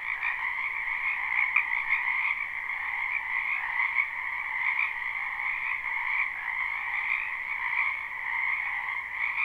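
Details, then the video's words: Spring wetland frogs behind a home, recorded live with no looping, fill the air with constant overlapping croaks. The massed trilling holds level from start to end, with slight swells in loudness and no other noises. "Ambient Noise for Sleep Frogs"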